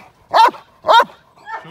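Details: Male Cane Corso in k9 protection training in London, UK, responding to a staged moped gang crime scenario: two loud, sharp barks half a second apart, then a softer third.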